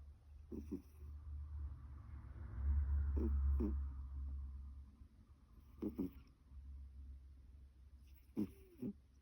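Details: Female domestic cat born in 2009 snoring with suspected nasal congestion: short raspy snorts roughly every two to three seconds over a steady low hum.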